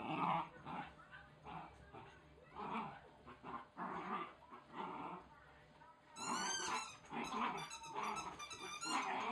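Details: Wire Fox Terrier pup Oscar playing at destroying a chicken toy: steady low growling in uneven bursts, joined in the final seconds by shrill, whistling squeaks from the toy.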